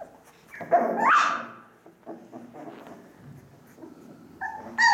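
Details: Ca de Bou puppy, four weeks old, from Bea and Bubu's litter, kept indoors: one loud rising squeal that climbs sharply, then soft scuffling and faint whimpers, ending in a short bright yelp.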